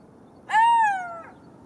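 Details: Single drawn-out golden jackal wail: abrupt start, a slight upward lift, then a gradual falling glide lasting about three quarters of a second, rich in overtones, ending with a brief fainter tail note against a still background.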